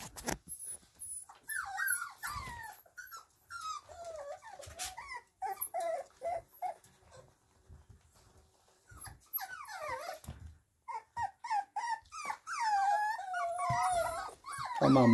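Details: Kromfohrländer puppies kept in a cage at Nalgards kennel, their mother outside, whimper and whine in many overlapping high, wavering, rising-and-falling cries with short pauses, while a woman speaks softly to them in Swedish.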